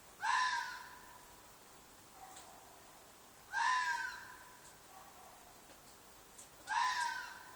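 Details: Red fox calling at night from a field behind an apartment: three loud, rasping, scream-like shrieks spaced roughly three seconds apart, each abrupt at onset and fading raggedly, with quiet hiss between.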